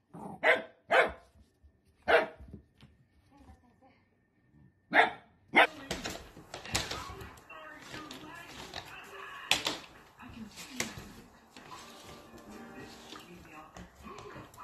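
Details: Dachshund, a sausage dog, gives sharp, loud barks in a burst of about five during the first six seconds, then a busier stretch of mixed noise and human voices follows.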